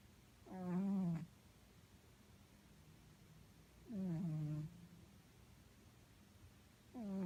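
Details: Domestic cat snoring loudly indoors, loud enough to drown out the TV; three drawn-out, throaty, tonal snores, each under a second long, recur roughly every three seconds over a faint background hum.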